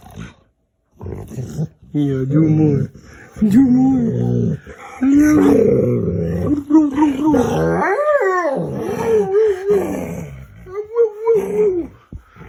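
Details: Dog indoors, playing games with its owner and making funny noises: a series of wavering, yodel-like moans and growly 'wa-wa' sounds that rise and fall in pitch, mixed with a person talking.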